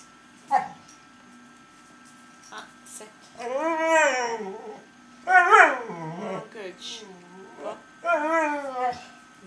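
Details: Staffordshire bull terrier and Rottweiler cross dog having a little chat indoors: long wavering whining, yodel-like moans rising and falling in pitch, in several bouts over nine seconds, with a person's speech between them.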